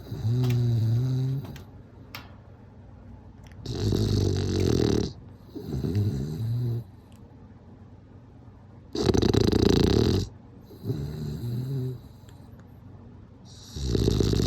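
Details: Bulldog snoring alternates between loud, noisy, rasping breaths lasting about a second and softer throaty snores with a quavering, gargling wobble, separated by brief silences.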